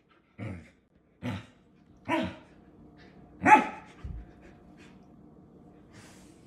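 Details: Samoyed puppy barking for a belly rub: five short, sharp barks at under one-second intervals, the fourth loudest and rising in pitch, followed by a brief low grunt and a faint final yap amid quiet indoor hum.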